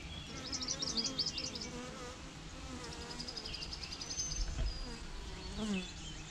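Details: Swarming bees keep up a constant buzzing drone; bright, quick bird chirps come in bursts early on and again midway.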